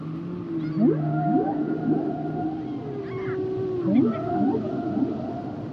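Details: Humpback whale song: rising whooping upsweeps and long tonal moans with harmonics, arranged in repeated phrases, some swoops climbing steeply, over a steady underwater hiss.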